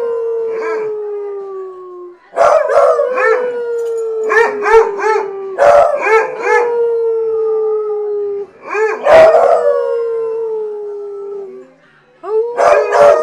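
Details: A group of hounds, stirred up to howl, hold drawn-out descending tones layered over one another while choppy barks and yodelling wavers cut in every second or two, with a brief lull near the end.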